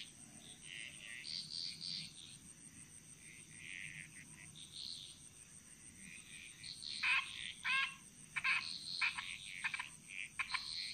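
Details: Frog calls from the Bali jungle in Indonesia, soft at first, then sharp clicking double notes from about seven seconds, with a continuous high insect whine and quieter distant calls.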